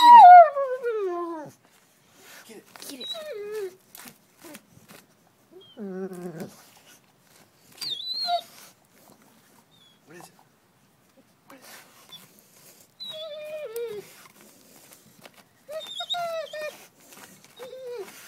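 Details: Pet dog Buddy Bear, digging in the garden, lets out long, loud, high whines that slide downward, coming in bursts separated by short pauses, with faint scraping between.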